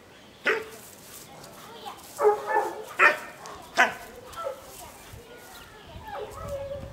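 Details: Dog named River doing protection work training at home with a club helper acting as decoy; sharp broadband barks in a short burst, about four strong barks within two seconds, with a voice and faint background noise.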